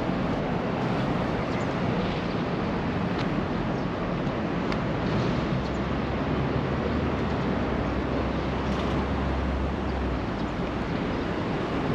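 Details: Constant broadband roar like passing traffic or wind, with no animal voice heard.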